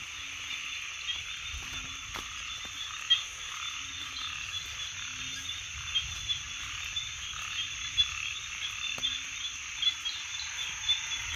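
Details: Frogs give short, low croaks, repeated about every one and a half seconds, under a dense, steady high-pitched insect chorus with a faint low rumble beneath.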